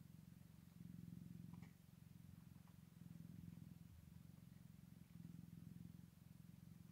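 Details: A Scottish Fold cat purrs on the first day of a litter's birth, a low rumbling drone that swells and eases with each breath.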